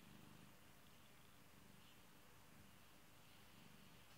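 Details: A pet kitty purrs softly in a low, steady rumble that swells in gentle pulses about once a second, very quiet against a faint even hiss.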